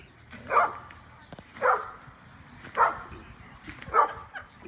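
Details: Energetic pet dog barking while jumping on a trampoline with a 14-year-old boy in the afternoon; four sharp, mid-pitched barks spaced about a second apart over quiet background rustle.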